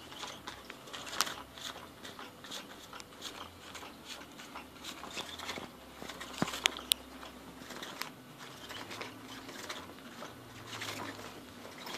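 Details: Irregular crunching, biting and crackling sounds fill a small indoor space, with a few sharp clicks. No meows or other animal calls can be picked out.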